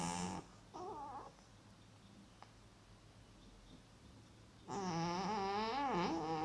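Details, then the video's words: Loud snoring from a sleeping male cat in an Elizabethan collar, worn for dermatitis on his back that has since healed. Short breathy snores come early, then a long, strong, buzzy snore with a gently wavering tone in a quiet room. "Cute cat snoring really loud!"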